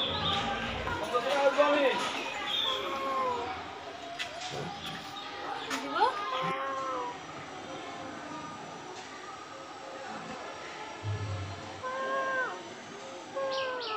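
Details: Kitten brothers indoors while their mother sunbathes outside, giving repeated high arching meows in short bursts, several overlapping, with pauses between groups; soft clicks and clatter in the room.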